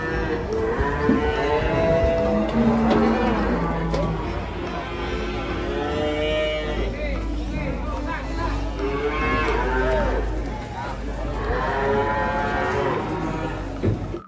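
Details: Cattle being unloaded from a truck call repeatedly. Several long, wavering, harmonic moos come in separate bouts, each lasting one to two seconds, with steady background noise and faint voices between them.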